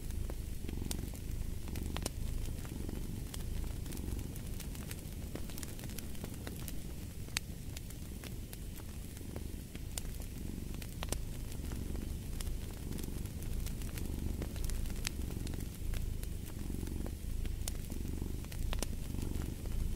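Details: Cat purr mixed with a crackling fireplace, the low rumble with faint breath pulses partly masked by dense snapping and popping of the fire.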